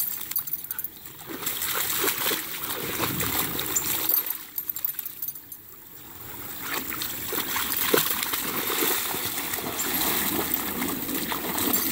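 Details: Water splashes and sloshes in a creek throughout, with a flowing stream and faint voices in the background.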